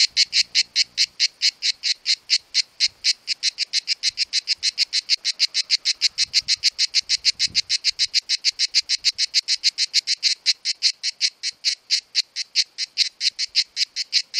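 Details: Cicada in full summer song, one of two filmed, sound emitted by tymbals: a long, loud, steady train of rapid buzzy pulses, about five per second, continuing without pause, with faint low handling noise.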